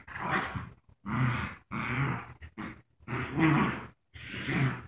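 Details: Rough, low growls from Joy, a paralyzed puppy in a diaper, playing tug of war with her friend Wicket. They come in bursts of half a second to a second, split by brief silent gaps, with no other clear sounds.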